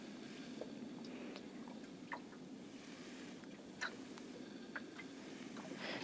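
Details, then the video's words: Sperm whales off Kaikoura, recorded by a hydrophone lowered from a boat, give a fast series of sharp, broadband echolocation clicks, popping irregularly over the steady underwater roar of surf surging in and out. "You can hear the sperm whale clicking."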